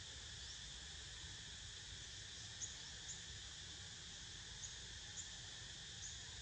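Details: Steady cicada chorus as Niko naps, a constant high buzzing whine in stacked bands with small bright ticks every second or so and a quiet low background hum.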